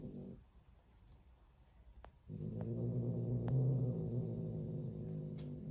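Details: Female Turkish Van cat angry at her roommate: after a short rumble and quiet moment with faint taps, a long, steady, low-pitched growl builds and holds to the end.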